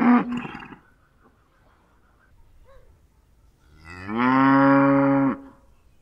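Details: Cow giving a short moo at the start, then after a near-silent gap a loud, level, sustained moo of over a second that ends abruptly.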